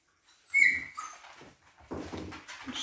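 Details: Siberian Husky Baikal, indoors after leaving the puppies hungry: one short high whine that falls in pitch, followed by clattering and shuffling noises in a small room.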